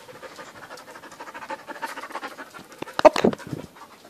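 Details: Pet dogs panting in quick, steady rhythmic breaths for nearly three seconds, then a louder burst of breathy puffs near the end, with Dutch speech nearby.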